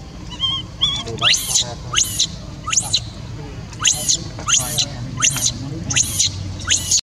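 A newborn monkey gives thin, rising squeals, one after another, calling for its mother.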